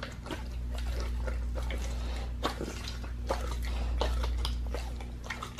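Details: Pit bull chewing a raw leg of lamb as raw food; rapid, irregular crackling bites and moist smacks, roughly four per second, with a low steady hum underneath.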